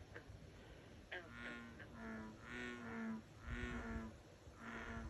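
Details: Frogs in a pond in a dark rural area on a summer night, amid fireflies, call in low, nasal, harmonic bursts about once a second. The owner says they are American bullfrogs and peepers, which call all night, especially after rain.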